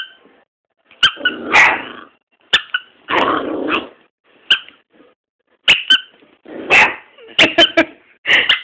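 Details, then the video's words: First barking by Boston: bursts of high yappy barks mixed with rough growly barks, some long and grating, coming in irregular volleys across a quiet indoor room. "Bostons 1st bark"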